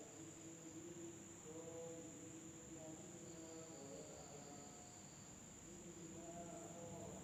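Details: A nighttime village in Indonesia, filled with insect sound: one high, even, continuous hum, plus lower, trilling notes repeating roughly three times a second in loose, irregular runs, joined by a faint higher whine midway.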